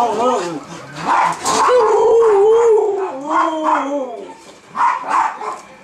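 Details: Two Siberian huskies give wavering, yodel-like howls that rise and fall, "singing" for their supper.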